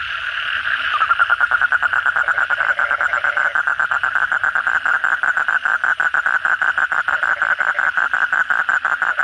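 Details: Kodok bangkong, the Asian common toad, in full night chorus after heavy rain: after a second of blurred background, a steady, fast train of throaty pulses runs unbroken to the end.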